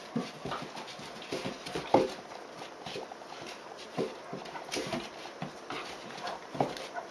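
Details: A bold 76-day-old Dobermann puppy pesters an older female Dobermann in play, jumping on her and biting. Brief rough yelps and growls are scattered through the stretch, with soft rustling and movement noise between them.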